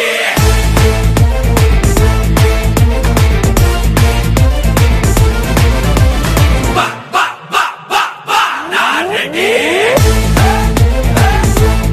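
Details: Loud electronic dance music with a pounding beat and a brief breakdown near the middle; no animal sound.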